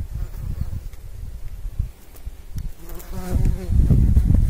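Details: Pollinating bumblebee, a low droning buzz with clear harmonic bands swelling in during the second half, over muffled rumbling background noise.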